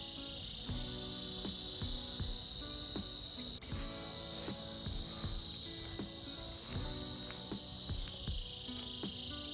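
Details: Cicadas buzzing together during winter: an intense, constant high whine that brightens briefly after a short dip, with a plucked music melody beneath it.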